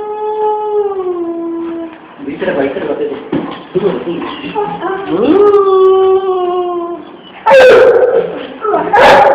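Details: A 3-month-old Great Dane puppy gives long, drawn-out tonal howls that waver and slide up and down.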